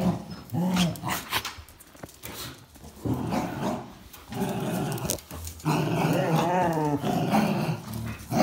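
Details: Three dogs, a Jack Russell Terrier and two Border Collies, one black-and-white and one red-and-white, wrestling over a towel; low rumbling growls with scuffling noise, then a sustained, wavering growl-whine near the end.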